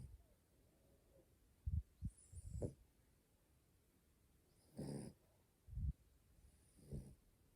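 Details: Female French Bulldog puppy asleep, born April 2020, giving short snorting, wheezy snore bursts: a quick cluster of rough puffs, then a longer rasping snore and softer follow-up snorts, irregularly spaced over several seconds.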